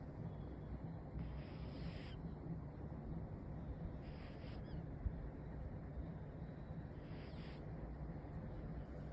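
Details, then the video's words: A sleeping cat snores softly. Three airy, breathy rasps come roughly every three seconds over a steady low hum. "Cat snoring"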